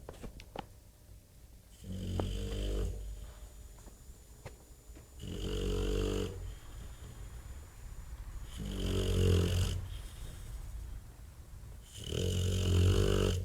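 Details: Bob, a Bulldog, snoring heavily: four deep, rumbling, rattling snores, each lasting about a second and coming roughly every three seconds, with quiet breathing between them.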